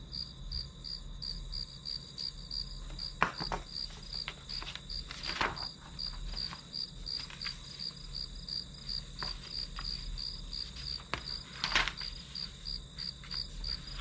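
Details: Grass insects recorded as ambient white noise for studying: regular high chirps pulse on without a break while sharp clicks and soft tapping sounds cut in now and then, over a low background hum.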